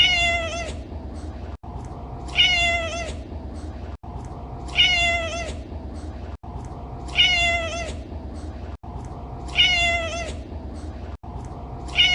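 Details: Domestic cat meowing, one drawn-out, slightly falling meow repeated at a steady pace about every two and a half seconds, each cut off by a brief gap, over a constant low background hiss.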